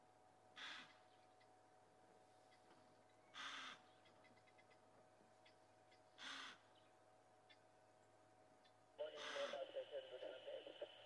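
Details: An impala ram chasing a female running from his herd at Djuma Game Reserve, South Africa, in the morning (April 28, 2011) gives sharp, breathy alarm snorts, then breaks into a harsh, pulsing rutting roar.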